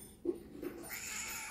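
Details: Pet cat, unhappy about wearing a harness, gives a brief low sound and then a drawn-out complaining meow while a person speaks to it indoors.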